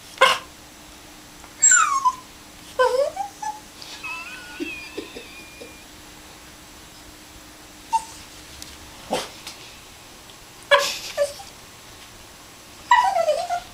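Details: Pet Maltese dog trying to get his bone, making a series of short, high, sliding whines and yips in scattered bursts, with quiet gaps and a faint tonal hum in between.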